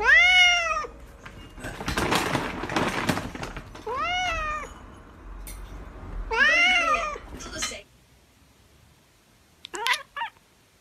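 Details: Pet calico and tabby cats with a cute voice give a series of arched, drawn-out meows, one after another, broken by a burst of rustling noise, then two short high chirps near the end.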